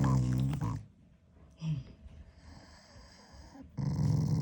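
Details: Shiba Inu growling at its owner as an expression of affection rather than anger; a loud low growl, a quiet stretch with a brief grumble, then the deep growl resumes.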